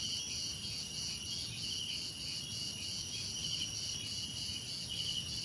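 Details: A dense cricket chorus of continuous high-pitched trilling with gentle rhythmic pulsing, a brighter shrill band repeating every second or so, and a faint low hum underneath.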